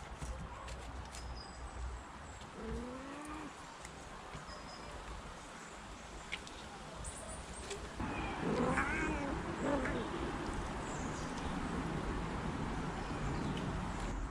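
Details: Domestic kittens playing with their mothers and meowing for attention: a few short, rising-falling meows in the first seconds over room noise, then a louder, rougher, continuous stretch of sound from about eight seconds on.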